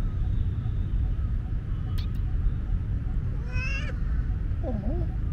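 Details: A timid but curious young tomcat kitten, wary of a friendly human and fending off petting with his paw, gives one short, bending meow, then a faint wavering cry, over a steady low rumble and a few sharp clicks.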